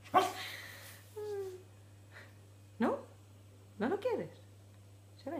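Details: Border Collie puppy, eating a piece of beef for the first time and seeming not to like it, gives short yelping barks and a rising-falling whine, separated by pauses, over a steady low hum.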